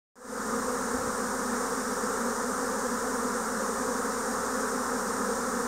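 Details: Japanese honeybees swarming in spring 2024, a dense cloud of bees in the air: a steady, thick droning hum with a low tonal buzz and bright hiss above, unbroken after a sudden start.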